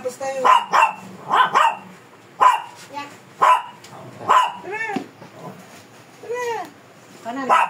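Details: Shih Tzu, a fierce dog resisting grooming, gives short barks in uneven clusters, some doubled, with pauses between; a person speaks in Filipino with drawn-out, pleading tones in between.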